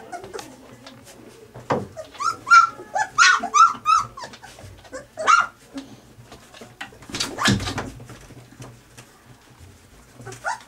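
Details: Three-week-old puppies squabble over their mother's milk as she comes near. Rapid bursts of high, squeaky whimpers and squeals cluster between two and five seconds. A louder, rougher cry follows near seven seconds, with scuffling throughout an indoor room.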